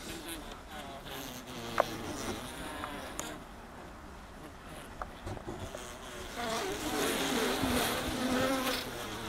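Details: Many honey bees humming inside a full honey super, a low steady drone with scattered clicks, growing louder and richer in the last few seconds as nearby bees buzz close by.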